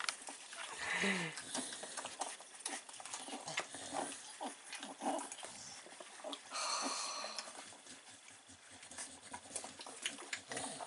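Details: Three-week-old Staffordshire Bull Terrier puppies with their mother GooGoo, recorded 9 April 2019: short high whimpers and squeaks, one clear rising-falling cry near the start, over constant scratching, shuffling clicks and a little talking.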